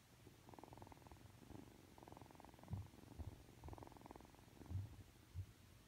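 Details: Just awake and being affectionate, three-month-old Ragdoll kitten Aki gives a rumbling purr in repeated pulses roughly every two seconds, with a few low soft thumps near the end.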